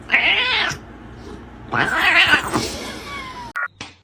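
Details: House cat yowling in two rough, strained bursts with a harsh, noisy tone, followed by brief clicks and clatter, indoors, from a compilation of funny cat moments.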